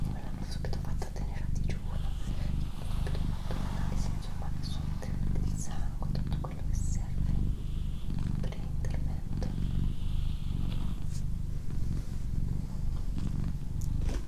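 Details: Doroti, a pet female cat, purring indoors in a small room: a steady low rumbling drone throughout, with soft human whispering and brief rustling clicks layered over it.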